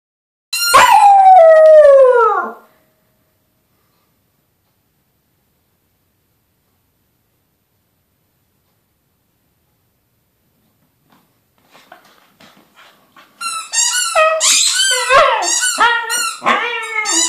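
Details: A male corgi "sings": a long falling wail followed by a burst of wavering, yodelling howls.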